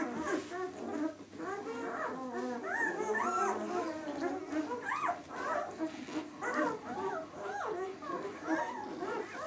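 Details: A group of White German Shepherd puppies, six days old, from the "of White Night" B litter, keep up a continuous jumble of thin, bending whines and squeals, several voices at once, fairly quiet and steady.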